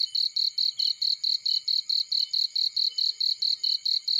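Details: Cricket in a field: bright high pulsed chirps, about seventeen evenly spaced bursts in quick succession, with a faint low crackle and a soft lower whine.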